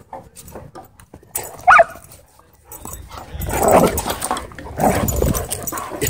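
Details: Loki, a dog going crazy at a dog park, lets out a sharp yelp near the start, then a cluster of loud, ragged barks in the second half amid outdoor background noise and faint music.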